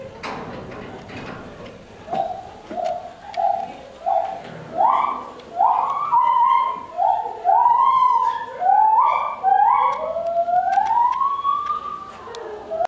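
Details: A white-handed gibbon at Ueno Zoological Gardens gives a series of clear, rising hoots that quicken and climb into long swooping whoops.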